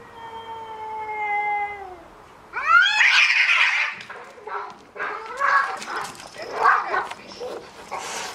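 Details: Domestic cats fighting: a steady, low, drawn-out growling tone slides slowly downward, then breaks into loud, rising shrieks, hisses and scuffling cries in uneven bursts.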